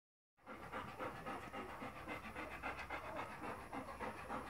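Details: Four-day-old Golden Retriever puppies: soft, breathy, rhythmic pulses of sound repeating nearly four times a second at an even pace, low in volume and steady throughout after a brief silent start.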